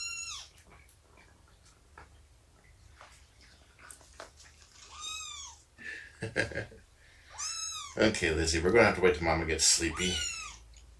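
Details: Rescued mother cat Shelby, about two years old, at indoor play and nursing time on 24 September 2017; repeated bright, down-curving meows mixed with people talking and a loud burst of rustling and clatter near the end.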